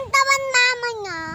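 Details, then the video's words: Newly born goat kid on a farm field in the Philippines giving one drawn-out, quavering bleat that breaks into a few pulses before sliding down in pitch, with faint background noise. "kapapanganak na kambing"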